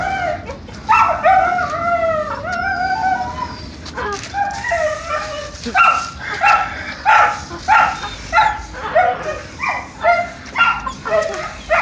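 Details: During a test of Donovan Pinscher pups, clear harmonic yelps and whines rise and fall in pitch, repeated in an uneven rhythm of roughly one or two per second, with a faint low background rumble.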